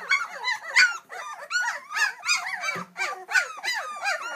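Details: Two-week-old English Springer Spaniel puppies, a litter, hungry and calling for their mother: a dense chorus of high squeaky whines and yelps, rising and falling, overlapping in bursts roughly every half second.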